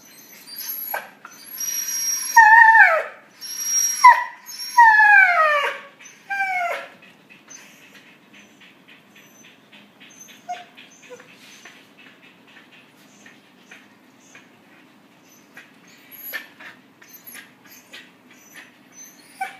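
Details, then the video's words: Puppies socialising, with a burst of high, falling whimpers and yelps over the first seven seconds, then near quiet with only faint scattered sounds for the rest. "Puppies giao lưu"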